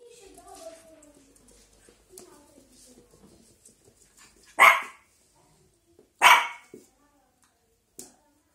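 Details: Shih Tzu puppy indoors barking at a pile of clothes: two sharp, loud barks about a second and a half apart, then a softer short yap, after quiet speech-like sounds at the start.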